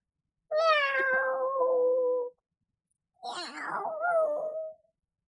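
A Norwegian Forest cat gives two long, drawn-out meows, the first steady, the second wavering.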